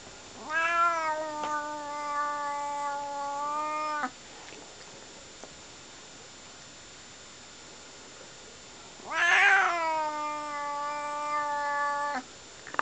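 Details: Pet cat yowling indoors: two long, drawn-out, harmonic yowls of three to four seconds each, fairly level in pitch, separated by a quiet gap with faint room hiss.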